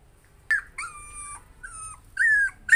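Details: Frightened puppy lets out a few drawn-out, high whines, some sliding downward and others rising, separated by brief pauses.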